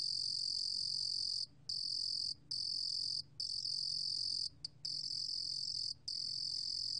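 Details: High, buzzy song of the Korean cricket 루루곰귀뚜라미, recorded in 2020 by the National Institute of Biological Resources: a trill chopped into bursts by six brief pauses, over soft low background noise.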